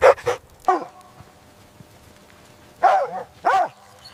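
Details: Mother dog and puppies at play on snowy ground in winter. Two quick yaps, a single bark, then a lull before two more harmonic barks close together.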